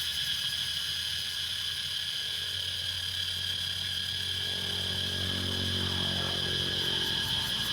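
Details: Cicada chorus recorded in Laos, a continuous shrill buzzing whine holding level at a high pitch, with a low humming rumble rising underneath in the second half.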